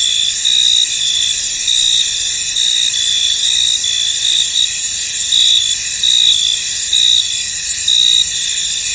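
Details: Many crickets sing in a fog-covered field, layered high-pitched trills forming a continuous shimmer, with louder pulsed chirp bursts recurring roughly once a second over the steady background.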